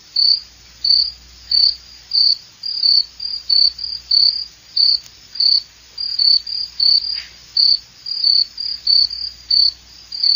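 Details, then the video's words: Shrill cricket chirps, each a compact trill of quick pulses, following one another about one and a half times per second in a clean, regular beat with almost no background. "SOM DE GRILO"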